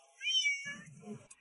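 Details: Stray cat with cat acne, stomatitis and ear mites, giving a brief, thin, high-pitched meow that wavers and falls, followed by a low murmuring sound.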